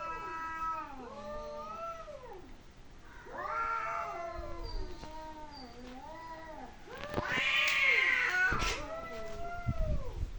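A cat lets out a string of long, wavering yowls, each bending up and then sliding down. The moaning caterwaul swells louder toward the end, with a brief harsher burst near the close.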